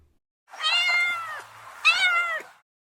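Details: Cat (Felis catus), meow.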